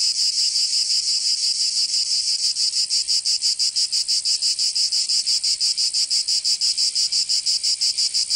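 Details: Summer cicada chorus from Provence in the south of France, a continuous shrill buzz throbbing in quick, even pulses, roughly three each second, the pulses sharpening toward the end; nothing else audible.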